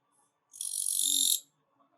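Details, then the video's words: Autumn katydid (kirigiri-su) producing a single loud, harsh, rasping buzz lasting under a second, building slightly in strength before stopping abruptly, with quiet surroundings. "The sound of Katydid キリギリスの鳴き声"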